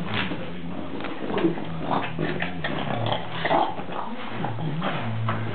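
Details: Otto the dog playing wildly with his favourite ball: low, rough rumbling growls with harmonic bands, rising and falling in short bouts, with scattered sharp clattering knocks throughout.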